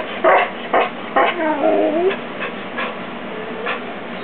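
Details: Female pet dog, too excited as she wants to play with a new kitten, gives quick yips then a drawn-out wavering whine, followed by softer short yelps.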